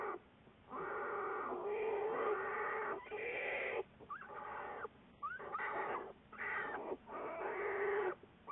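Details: Juliet the American black bear on February 10, 2014, part of Wildlife Research Institute research: long, strained, harmonic wails, broken by short gaps, some rising sharply at their onset.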